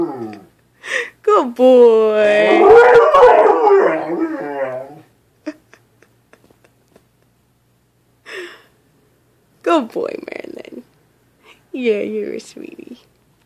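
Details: Seventeen-month-old Old English Sheepdog howling whenever it hears an ambulance: a long, loud, quavering howl for about four seconds, followed by shorter whimpering howls and a person's soft praising voice between them.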